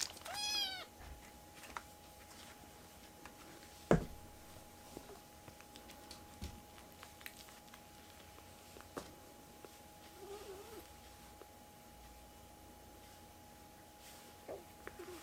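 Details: Rescued baby kittens crowding onto a person's right hand indoors; one loud, high meow with falling harmonics opens, then a faint short mew near the end, amid handling rustles, soft thumps and a steady electrical hum.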